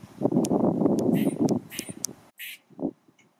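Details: Vocal male squirrel with a shaking tail produces a rapid run of gruff pulses, about three or four per second, then shrill squeaks and a single low grunt before falling quiet.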